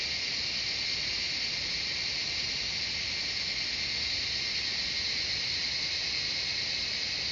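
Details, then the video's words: Many cicadas singing together in forest at Shivapuri Nagarjun National Park, Kathmandu, Nepal, produce a continuous piercing high buzz, a flat wall of insect sound that neither rises nor pauses. "Cicadas singing the jungle of Shivapuri Nagarjun National Park, surrounding of Kathmandu City Nepal"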